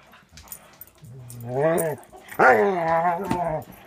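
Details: During play between a young Border Collie mix from a Wisconsin rescue and another dog, two long moaning howl-like yowls sound, the second louder and wavering, with faint rustling before them.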